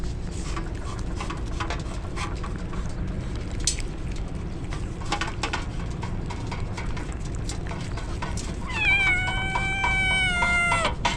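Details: Drenched stray kitten crying in the rain ahead of a typhoon: after a stretch of rain hiss and drips, one long, level, drawn-out meow near the end.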